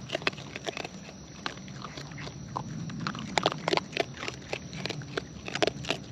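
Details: Raccoons in the wild feeding up close, with loud wet smacking and crunchy chewing clicks coming in quick irregular bursts, thickest in the second half, over a low rumble and a thin steady high tone.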